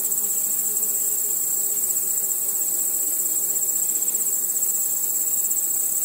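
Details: Night insects led by crickets, a relentless high, fast-pulsed chirping wash over soft, faint low hums.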